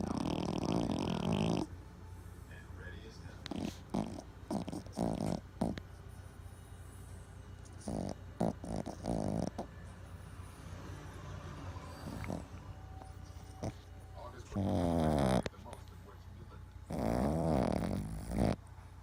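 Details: Sleeping Boston Terrier, twitching in its sleep, giving raspy snores at the start and again near the end, with scattered clicks and rustling in the quieter stretch between.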